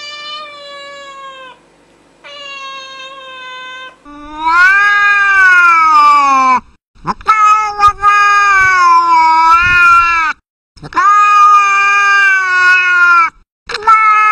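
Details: A cat's two thin, level meows, then loud, long, wavering lower-pitched yowls, several seconds each, rising and falling, broken by clicks and short gaps.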